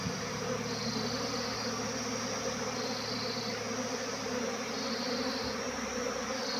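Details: Massed buzzing of a honey bee swarm: a constant droning hum with a shimmering upper tone that dips and rises every second or so, steady throughout.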